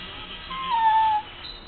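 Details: A 10-year-old male dachshund gives a thin, high whine that slides slightly downward, begging for dinner about 30 minutes early, as he does every night.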